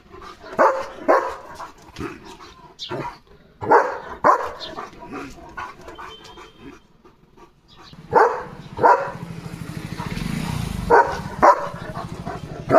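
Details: Pet German Shepherd named Leo, guard mode on during a parcel delivery day: scattered deep barks in short clusters with quiet gaps, a vehicle rumbling briefly near the end.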